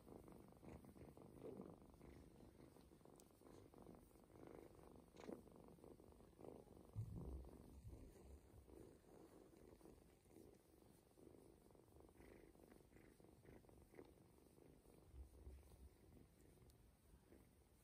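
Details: Purring from a young ginger kitten, adopted early from its mother, enjoying a stomach massage given to help it pee and poop; continuous soft throbbing rumble, fast regular pulses, faint handling rustles.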